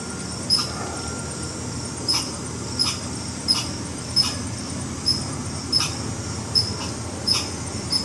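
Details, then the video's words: Red squirrel giving an alarm call: sharp, dry chucks repeated at uneven gaps of roughly one second, about nine in eight seconds, over a steady high-pitched hiss and faint low rumble. "Red Squirrel Alarm Call"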